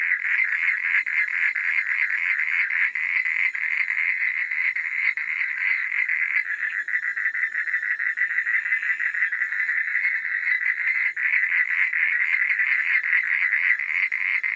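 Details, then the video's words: Frogs calling at night: a dense, unbroken chorus of rapid, rattling mid-pitched croaks overlapping so closely that they merge into a steady pulsing drone for the whole stretch, with no other sounds. "Suara Katak di Malam Hari"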